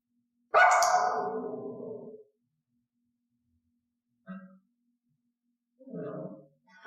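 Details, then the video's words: Dog in training not to bark, a behaviour that starts at strange sounds or when left alone: one long, harsh, drawn-out bark fading over about a second and a half, followed by two short, softer yaps after a quiet gap. "تدريب الكلب ان لا ينبح"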